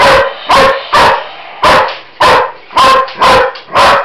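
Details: German Shepherd named Roxy, indoors in a kitchen, barking loudly at a Roboraptor robot toy; eight sharp, harmonic barks in four seconds, coming in an uneven rapid series with brief gaps between them.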